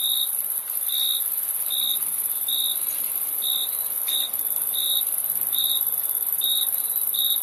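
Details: Steady series of high cricket chirps, each a short trilled pulse, spaced roughly three-quarters of a second apart over a constant background buzz of other insects.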